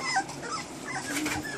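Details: Standard Poodle puppies, 23 days old, the litter of the dog Josephine, born 5 August 2014 and recorded 27 August 2014: thin, high squeaking whimpers overlap and repeat throughout, rising and falling in short slides over a steady low background hiss.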